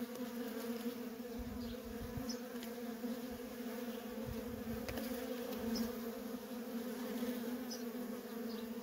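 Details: At a feral colony, worker honey bees keep up nonstop traffic: an even, unbroken low hum with bright overtone bands, occasional nearer wingbeats, and a few faint distant bird notes high above.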